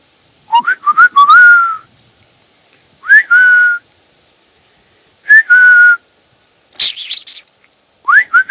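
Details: Roe deer in woods around Poitiers, France, about 3 km from Futuroscope, giving squeaky, whistle-like calls that rise sharply, then hold a steady pitch.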